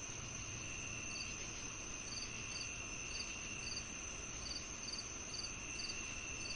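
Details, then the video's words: Crickets chirping in short, high, doubled pulses repeating roughly twice a second, set over a steady, lower continuous buzzing drone and soft background rumble. "The Cricket Sounds"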